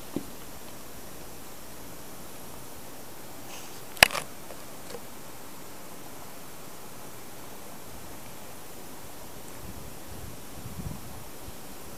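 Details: Quiet indoor room tone with a steady low hum, a single sharp click near the fourth second and faint rustling; no animal voice is heard.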